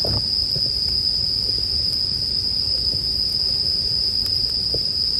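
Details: A continuous shrill, bell-like ringing of bell crickets stays level throughout, while a burning campfire adds scattered quiet crackles below.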